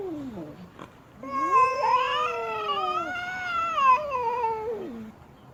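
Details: Displeased female cat stamping her feet, giving a long wailing yowl that rises then sweeps gently down over about four seconds, rich with harmonics, with a short lower moan just before it and a quiet room behind.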